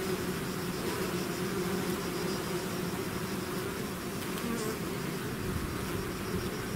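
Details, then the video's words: Swarm of bees out of its hive giving a dense, continuous buzzing drone, a steady low hum with shifting wingbeat tones layered over one another, no pauses and no other sounds breaking through. "bees therapy swarm natural buzzing sound"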